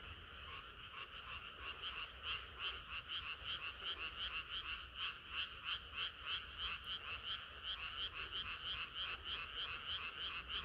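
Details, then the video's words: On a hot summer night, many frogs sing together: loud, regular pulsed croaking about three times a second, swelling slightly toward the middle, over a soft low background rumble. "개구리들의 합창은 끝이 없어라"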